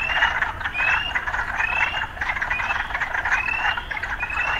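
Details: Frogs calling together in town: throbbing pulsed croaks pulse several times a second, while bright rising whistles recur roughly every half second over the din.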